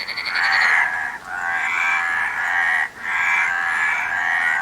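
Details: Frogs croaking: a loud, steady run of raspy, pulsed, mid-pitched croaks in about three long bouts, each lasting over a second, broken by short quiet dips.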